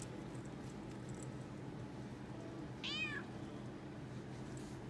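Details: Toyger cat exploring a pet shop after his vaccination, meowing excitedly while purring: one clear, arching meow with rich harmonics near the middle, over a steady low hum of purring and indoor room noise.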